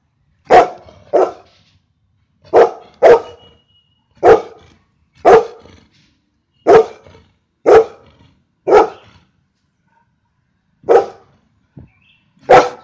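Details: Golden retriever named Louis barking: loud, sharp single barks, often in quick pairs, about a dozen across the stretch with short silent gaps between bursts, clean background.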